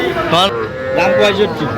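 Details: Small bull and heifer calves at a cattle market in Faridpur, Bangladesh, where farmers are buying. A brief, tonal moo with a steady drawn-out middle part is heard amid loud overlapping voices of people haggling over prices.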